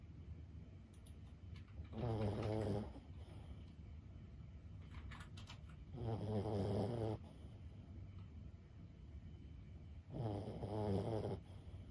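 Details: Sleeping senior Boston Terrier Lulu, aged 15, snores steadily: three low, rattling, nasal breaths spaced about four seconds apart, each around a second long, with faint clicks and quiet indoor background between them.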